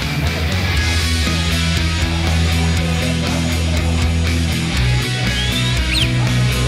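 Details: Loud heavy rock music with driving bass and distorted guitar fills the whole stretch, with no animal voice audible.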